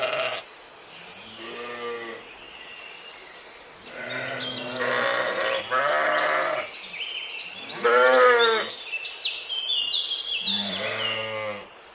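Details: Mouflon wild sheep in a forest and mountain scene: several wavering, nasal bleats, some overlapping, including a loud trembling one near the middle, with scattered high chirps and twitters behind them.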